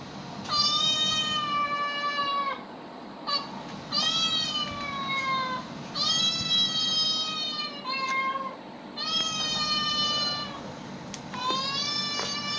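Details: Pet cats exposed to played animal sounds: a series of five drawn-out, level meows of one to two seconds each, with a few brief chirps between them and a constant low hum underneath.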